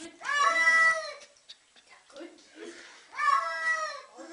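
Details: A cat getting a bath lets out two long, strained meows about a second each, one at the start and another near three seconds, with quieter murmuring and voices between them in a small indoor room.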